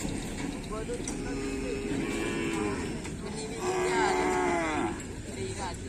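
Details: Cattle being trained for a bull race (kerapan sapi) at a field in Asemanis, 6 November 2022; two drawn-out, low moos with rich harmonics, the second louder, over crowd murmur and background music.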